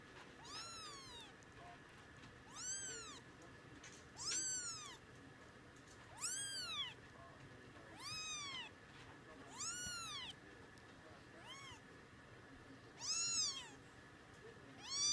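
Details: Munchkin kittens fifteen days old; thin high-pitched meows, each rising then falling, repeated about every one and a half to two seconds over a quiet indoor background.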